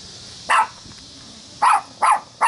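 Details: Dog barking at "The Devil Ant" during a family reunion party in Wilmette, Illinois, on July 25, 2015: four short, sharp barks, one alone and then three in quick succession, over a steady background hiss.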